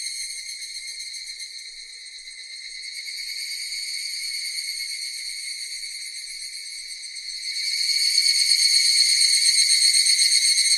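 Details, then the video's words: Cicadas singing: a continuous high, shrill electric buzz with a rich stack of overtones, steady for most of the stretch and then growing noticeably louder and fuller near the end. "Cicadas Sound effect"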